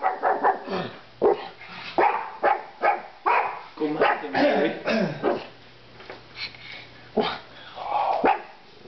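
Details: Indoors, a pet pug shares a room with a min pin while a big stuffed animal is pushed at them; a quick run of short, punchy barks about every half second, then a man speaks before a few more barks.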